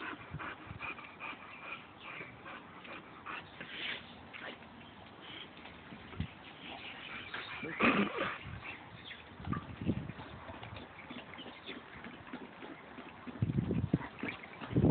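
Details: Two dogs, a Boxer and a Labrador, wrestle playfully in mud; sporadic whimpers and short yips rise over loud splashing and thumping, with heavier low scuffles near the end.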